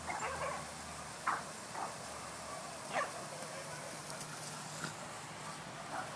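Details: A female Shiba Inu playing ball by herself indoors in April 2011 gives short, sharp yips and barks at irregular intervals over a low indoor hum.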